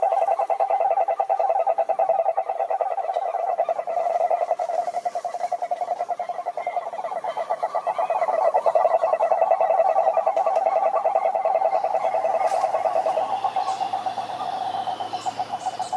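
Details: Many cane toads trilling at a lake in the Brazilian Atlantic forest: a long, continuous rattling chorus of overlapping low pulsed trills, swelling and fading, with a low hum and brief higher clicks near the end.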